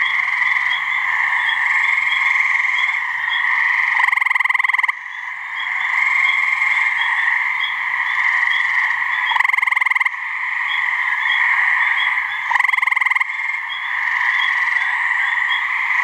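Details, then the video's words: Two gray treefrogs calling to mate in a swamp in New Hampshire, trading brief pulsed trills every two to four seconds, each crisp and rattling, above a steady high-pitched background chorus. "Gray Treefrog mating call"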